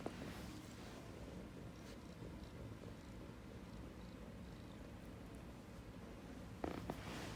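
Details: Ragdoll cat rubbing affectionately against its owner indoors, giving a low, steady, rumbling purr that runs throughout, with a short rustling brush of movement near the end.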